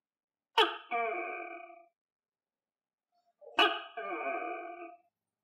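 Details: A captive tokay gecko, kept and fed crickets, gives two loud, barking two-part calls, each a sharp clipped note and then a longer fading tone.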